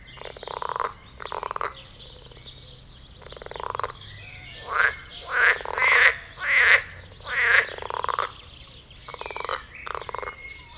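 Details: A few mating frogs in a garden pond croak vigorously while jumping, a busy chorus of loud, grating, pulsed croaks repeated about every second, rising to a dense run in the middle.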